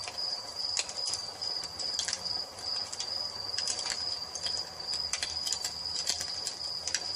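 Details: Crickets at dusk in a nature ambience, a steady high pulsed trill running through the whole stretch, overlaid by loud crackling and popping of a wood fire in a fireplace.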